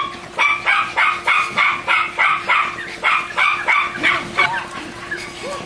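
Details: Two German Shorthaired Pointers playing in and around a pool, diving, retrieving, swimming and wrestling; a rapid, steady run of bright, sharp barks, about three per second, with a faint steady hum underneath.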